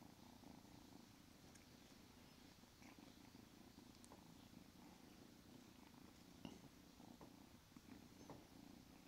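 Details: Squid, a small, feisty female Siamese cat, now grown from a kitten, purring indoors: a steady low rumbling drone throughout, with faint clicks and rustles.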